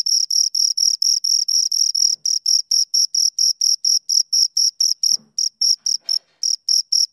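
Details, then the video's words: Two crickets chirping close up, a steady high-pitched pulsed trill of short even chirps repeated about twice a second, with a few brief gaps and faint low knocks in the background. "Two Crickets Chirp Sounds"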